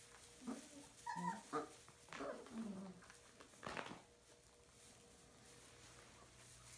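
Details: Puppies indoors in a small room give a few short, high, wavering whimpers and yips in two bursts over about three seconds, followed by a quiet stretch with faint room noise.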